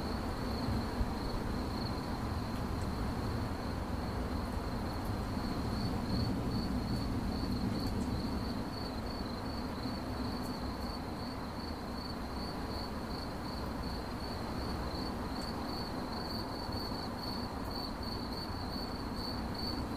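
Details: A cricket chirps in fast high pulses, about three per second, steadily throughout. A low rumbling background drops slightly in loudness partway through.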